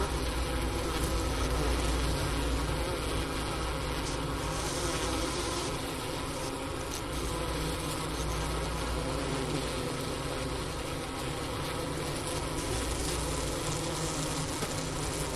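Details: Steady low hum of a honey bee cluster overwintering in a hive at Ohio State's Wooster campus, 4 PM, January 16, 2024, 15°F outside, recorder set near the inner-cover opening beside a sugar brick winter feed; unbroken even buzzing.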